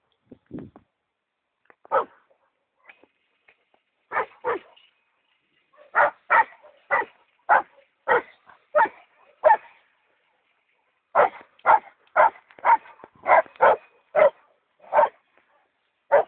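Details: An angry Rottweiler barks at a cow in loud, sharp bursts, often several in quick succession.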